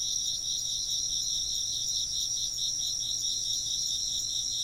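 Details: Steady high-pitched insect chirping, many callers trilling together in a bright, evenly pulsing drone that never pauses, background otherwise quiet.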